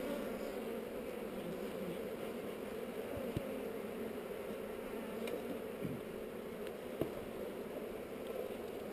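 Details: GoPro recording of a hive inspection with honey bees on heather: an even, constant hum of many bees throughout, with sharp clicks now and then.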